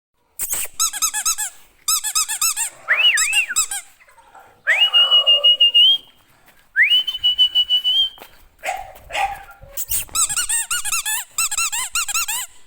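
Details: English Bulldog puppies at a breeding kennel, high thin squealing whines in quick arched bursts, several pups overlapping, broken by two long steady piping tones and brief pauses.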